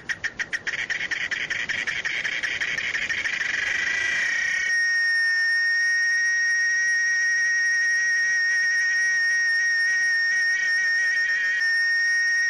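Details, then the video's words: Cicada song starting as rapid pulses that speed up and merge after about four seconds into a loud, steady, shrill whine with a tonal core and high overtones, held to the end. "SOM DA CIGARRA CANTANDO"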